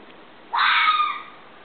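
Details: A fox gives one harsh, hoarse scream lasting under a second, strong and sustained before fading out, over a faint steady background hiss.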